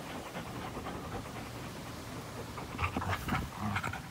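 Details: Two dogs, an American Pit Bull Terrier and a Belgian Malinois cross, playing together on April 21, 2019; quick, rhythmic, breathy panting, about fifteen breaths in four seconds, with a few sharper scuffling noises toward the end.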